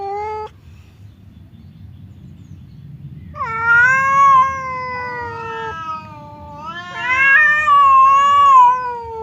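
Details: Aggressive domestic cat confronting a quiet cat behind a barrier, giving long tonal yowls: a brief cry, then two sustained wavering wails that climb and sag in pitch, with soft background hum.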